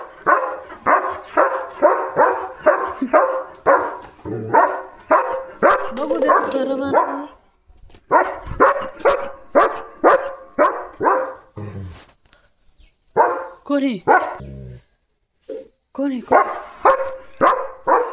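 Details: At the gate, German Shepherd Leo runs and dances while barking at a passing sheep herd. Long bursts of rapid, insistent barks come with short pauses between them, and a person's voice can be heard at times.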